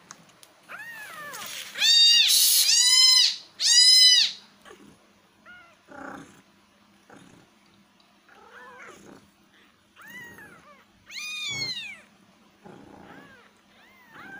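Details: Kittens crying with loud, strained, drawn-out meows early on, then quieter short mews and a further loud arched meow, roughly sixty-five cries per minute, over a faint steady hum.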